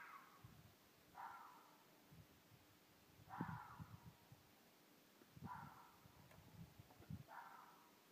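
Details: Red foxes, a wild mated pair near a village in Midhurst, England, give a night-time mating call. Hoarse, scratchy cries come from a distance, spaced roughly two seconds apart, with some low knocking noises in between.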